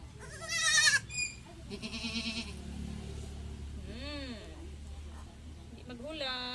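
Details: Domestic goats being given an iron vitamin injection by their keeper; several short arched, wavering bleats rise and fall, one loud at the start and others near the end, while a woman talks throughout in Tagalog.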